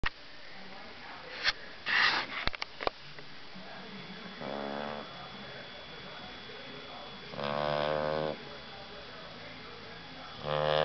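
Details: Silky, a sleeping pet dog, snoring indoors: three rasping, buzzy snores about three seconds apart, each rich in stacked tones, after a few sharp clicks and rustles at the start.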